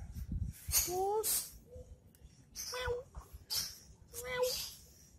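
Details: Pet cat playing with a stick, giving short tonal meows: rising, then level, then falling, spaced about every one and a half seconds, between sharp broadband scraping and rattling bursts.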